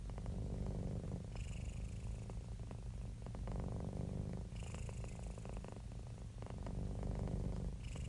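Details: Domestic cat, described as happy and relaxed, purring continuously; deep, even rumbling with faint rhythmic pulsing of breath, heard up close in a quiet setting.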